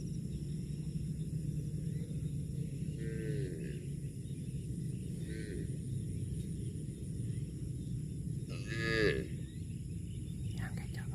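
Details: Cow eating grass, giving short harmonic moos around three and five seconds and a louder, longer moo near nine seconds, all over a constant low rumbling background noise.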